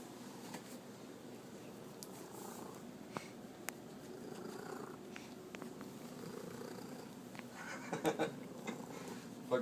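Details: A female Manx cat purrs steadily with a low rumble, adding a few short chirps, while being petted and scratched in a box, with people talking nearby.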